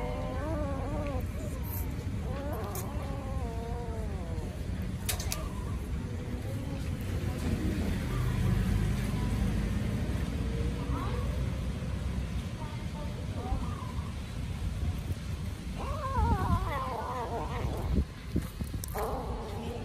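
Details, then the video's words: Hungry kittens crying loudly while eating and chasing each other: several overlapping harmonic meows, wavering and repeated, rising at the start and again near the end, over heavy low rumble that sounds like traffic. "Hungry Kittens Crying Loudly And Chasing Each Other While Eating"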